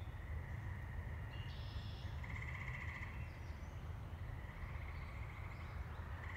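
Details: The season's first tree frog song in Saugatuck, Michigan, on May 14, 2018, beside woods: a steady, musical trill against a strong low rumble of wind or distant traffic.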